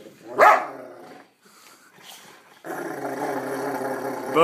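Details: Rottweiler Newfoundland mix dog growling with happiness out of love for his owner, indoors: a short sharp yelp, a quiet pause, then a long steady rumbling growl-groan lasting about two seconds, ending in a rising yip.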